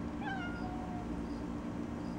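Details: Domestic cat sitting in a box, talking: a single drawn-out meow that slides downward and fades, with a faint steady hum in the background.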